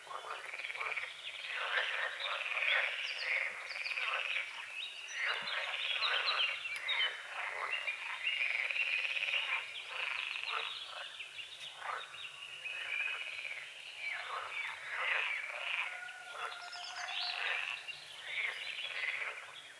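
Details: Frogs croaking at sunrise over a small foggy lake on a forest edge, a steady dense rasping chorus with pulsed croaks throughout and a few whistled bird calls toward the end.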